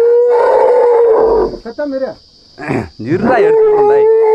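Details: Frightened Asian elephant calf trapped in a hole, being helped out by a group of men. Loud, tonal squeals come at the start and end, with men's shouted voices between them.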